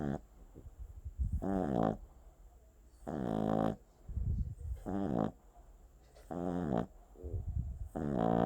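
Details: Sleeping Boston Terrier puppy snoring: harmonic, whistling snore tones alternate with low rumbling breaths, each snore lasting about half a second and recurring every one to two seconds, with a faint steady hiss underneath.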